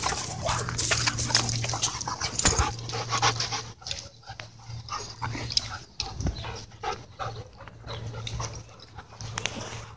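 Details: At a dog park, dogs wrestle in play; soft panting, snuffles and faint whimpering noises come in loose bursts over a low steady hum.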